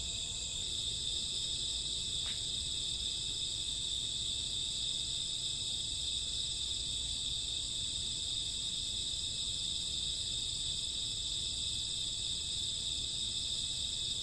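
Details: Night crickets in summer or autumn, an unbroken high-pitched buzzing trill holding steady the whole time, with one faint short sweep early on and a low background hum.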